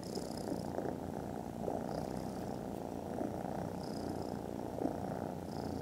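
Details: Very loud purring from foster kittens dozing contentedly after lunch: a steady, low, rumbling drone with gentle rhythmic pulses of breath rising and falling throughout.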